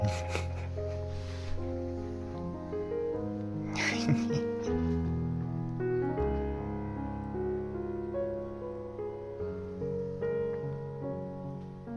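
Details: Gentle piano music plays throughout, with sustained notes and a short burst of voice or noise near the middle; no animal sound is heard.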